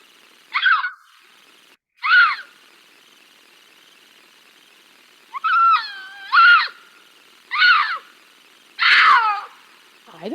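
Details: Mountain lion calling another mountain lion to say 'I'm over here', possibly to find a mate and to establish territory, Sonoma County. Six short, bright, wavering cries with falling tails, in pairs and singles over ten seconds against a quiet background.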